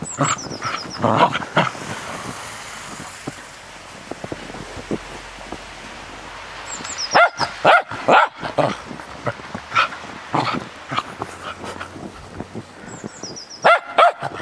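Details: Cairn Terrier frisking in the snow, barking in scattered bursts over steady background hiss, with a quieter middle stretch and short high chirping tones at the start, middle and end.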